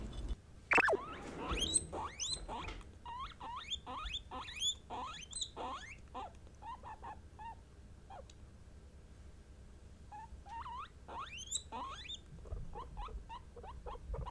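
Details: Guinea pigs kept as pets, three females named Kurumi, Mitarashi and Shiroppu, announce what they sense with rising whistled squeaks in irregular runs, pausing midway before resuming; a sharp bump opens the sequence.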